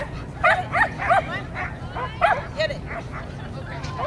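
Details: A black Poodle at a USDAA agility competition barks in quick, sharp bursts, several yapping barks close together, then pauses before more, over a steady low rumble of background noise.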